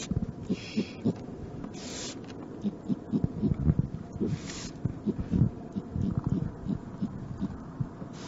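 A raccoon chatters in low, rapid bursts of grunting pulses, uneven and stuttering.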